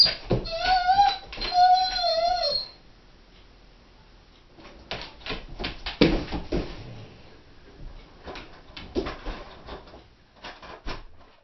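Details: Female Doberman left home alone, giving two wavering, high, tonal howls in the first few seconds that rise and dip, followed by a quieter stretch of scattered broadband knocks and scratching thumps indoors.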